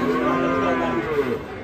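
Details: Domestic cattle, described as rampaging and falling into a ditch while coming down from a truck. A steady, low, drawn-out moo is heard, with men talking in the background.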